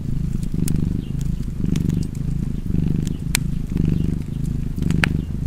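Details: Deep rhythmic purring of a cat, roughly one breath cycle per second for about five cycles, with bright pops and crackles of a wood fire over the rumble.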